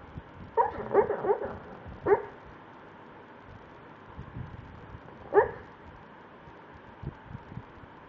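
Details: Buster the dog, asleep and dreaming, gives a quick cluster of muffled yips, then two isolated soft woofs separated by quiet breathing.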